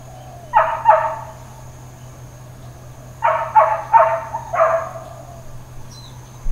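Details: Neighbourhood dog in Hawaiian Paradise Park, Hawaii, barking intermittently on September 2, 2024; a quick double bark, a pause, then a run of three rapid barks and a single final one, over a steady faint hum.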